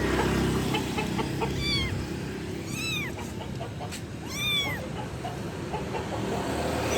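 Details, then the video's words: Loud kitten calls to its mother: three arched, high-pitched meows rise and fall at irregular intervals over a rushing, noisy background. "ANAK KUCING MEMANGGIL INDUKNYA [ suara Keras ]"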